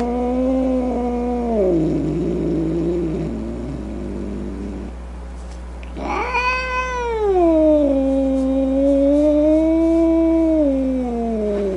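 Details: Angry domestic cat: a falling yowl turning into a rough, growling rumble, a brief lull, then an abrupt loud wail that swells and sustains with wavering pitch before tapering off.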